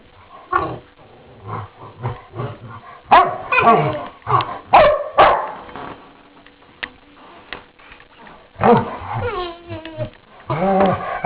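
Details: Two pet dogs in morning play, trading deep rumbling growls and short harsh barks in uneven bursts, with louder rasping snarls in the middle and again near the end.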